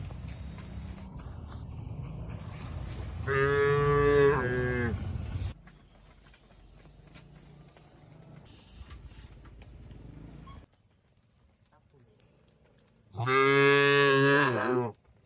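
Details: Two loud, strained moos from tame cattle kept in a shed in a peaceful rural setting, about nine seconds apart. Each lasts under two seconds and wavers toward its end, with quiet shed noise between them.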